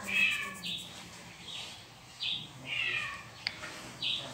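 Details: Domestic cat meows that Kitty, a house cat, reacts to as an intrusion into her territory. A quick string of six short, bright meows, each a clipped rising-falling note, over steady background hiss and a faint low hum.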